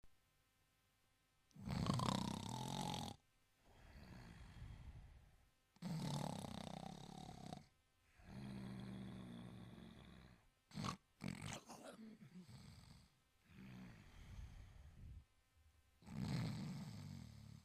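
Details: Italian Greyhound asleep and snoring: rough, low breaths in bursts of one to two seconds, recurring about every four seconds with quiet gaps between, plus a few short sharp clicks near the middle.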